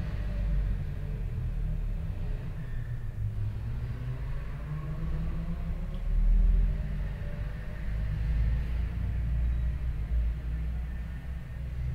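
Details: Deep, continuous engine-like rumble fills the room, swelling briefly around six seconds, with no animal sound.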